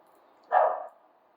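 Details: A dog barks somewhere nearby, one brief rough bark lasting under half a second, with a faint steady hum around it.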